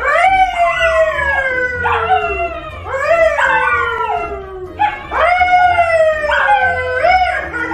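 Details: Dog howling as if singing, a series of sliding howls that rise briefly then fall in pitch, repeated roughly every two seconds, loud and harmonic with little else in the background.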